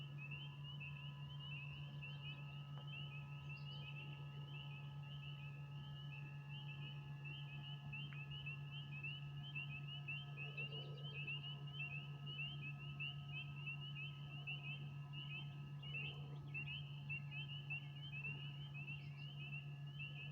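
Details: A dense spring chorus of frogs, recorded outdoors as rain begins to fall, with high, shrill chirps overlapping without pause over a steady low hum.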